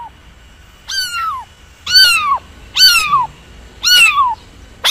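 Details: Cat calling with loud, insistent meows roughly once a second, each starting high and sliding downward, strongly harmonic, over a faint steady hum.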